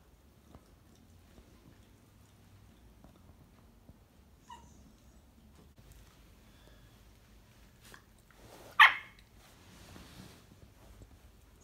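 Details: A corgi puppy lets out one sharp, high-pitched bark in an otherwise quiet room to wake its owner in its daily morning routine.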